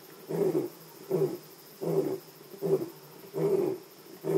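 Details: Lion roaring at Jejane PNR, South Africa: a run of six deep, hoarse grunting pulses, one about every 0.7 seconds, each swelling and fading, with a steady faint high hiss behind.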